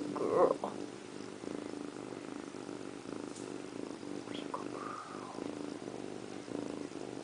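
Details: Pet cat Indiana Piano Rabbit, a female, bathing herself in a bathroom sink: a short bright meow opens, then a continuous low pulsing purr, with a brief faint rising cry near the middle and quiet rustling.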